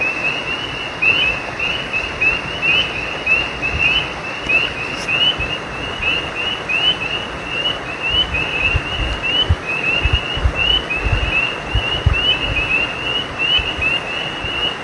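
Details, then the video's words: Night chorus of frogs beside a creek, many callers giving brief high upswept chirps in an unbroken overlapping stream, with a constant broad hiss of running water or wind underneath. "Night creek frogs cry"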